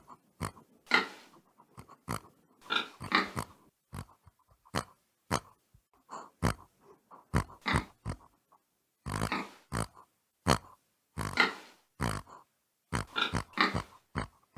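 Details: Domestic pig grunting steadily for about fifteen seconds. Loud, rough snorts mix with quicker, softer grunts in an irregular stream, with short pauses between the clusters.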